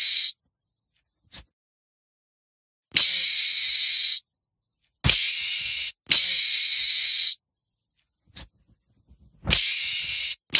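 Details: Meerkat, a small mongoose of southern Africa, giving harsh hissing screams: three long noisy bursts of about a second each, separated by silent gaps, with brief clicks between them.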